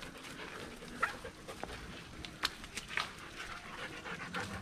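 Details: Dog panting during a 5 km uphill and downhill off-leash mountain hike, up to about 714 m elevation, with a Doberman Pinscher named Kiki and a German Shepherd named Messy; soft breathy bursts with a few sharper clicks and steps.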